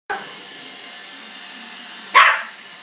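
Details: Jack Russell Terrier guarding a Roomba robot vacuum gives one sharp bark near the end, over the steady hum of the running vacuum cleaner.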